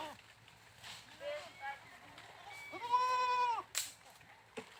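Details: A goat gives a few short, faint bleats, then one louder, long, trembling bleat held for under a second, followed by a sharp click-like noise.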